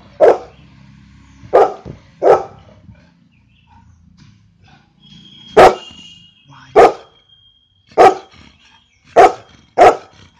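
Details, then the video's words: Golden retriever barking in a series of loud, sharp single barks, in clusters of two or three separated by short pauses, about eight barks in all, with a faint steady tone in the background. "barking part 2! (Golden retriever)"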